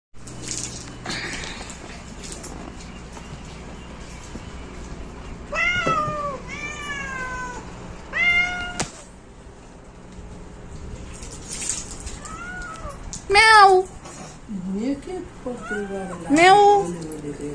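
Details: Domestic cat meowing several times, short harmonic calls that rise then fall, mostly between five and seventeen seconds, with quiet gaps and faint background hum between them.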